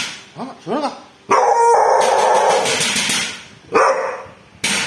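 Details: A pet dog, Bull, barking at a thief: short voiced sounds, then a long, loud, rasping bark sequence and two more sharp barks, with human voices in the background.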